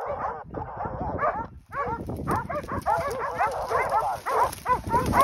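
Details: Pack of hunting dogs halted on a group of wild boar, Battuta Caolaccio hunt, Pratomagno, Arezzo, Italy. After a brief pause, a steady stream of quick, high barks and yips builds, many dogs calling at once.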